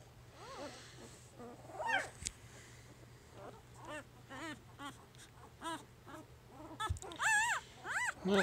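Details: Three-day-old puppy from Jig's litter making soft, broken whimpers at first, then a quicker string of thin arched squeals that swell louder near the end, with a faint hum and a couple of handling knocks.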